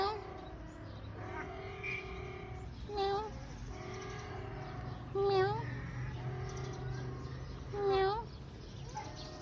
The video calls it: Siamese Cat Go Meow